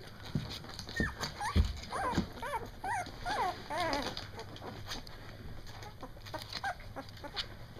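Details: A first litter of Doberman puppies at two weeks old, just learning to bark, gives a quick run of short, arched, squeaky yips over about three seconds, then goes quiet apart from soft background rustling.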